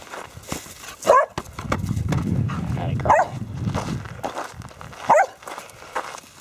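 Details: Border Collies, one of five dogs playing soccer with a basketball, give three short, sharp barks spaced about two seconds apart, while a man speaks encouragingly between them and footsteps and ball sounds are heard.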